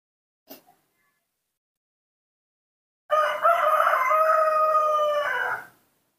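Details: Newborn monkey in human care asking for milk: after a brief soft squeak, one loud, drawn-out, tonal wailing cry lasting about two and a half seconds, steady with slight wavering, in an otherwise quiet room.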